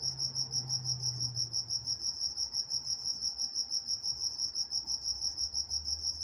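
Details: Crickets chirping at night in Walnut, California: a steady, high, pulsing trill repeated about three times per second, with a fainter higher band above it, over a quiet low rumble.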